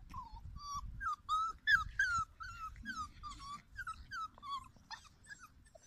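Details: Litter E puppies in a playground whimper steadily, about three short, high, whiny cries per second, each bending slightly in pitch, with one louder squeaky cry near two seconds and faint low thumps beneath.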